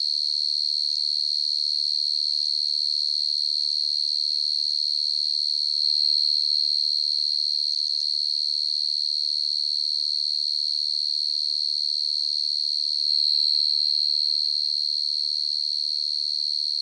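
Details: Field cricket (dế mèn, dế cơm) in the nighttime countryside: a long unbroken high trill, rapidly pulsed, swelling slightly louder twice, otherwise constant in pitch and volume, with no other sounds.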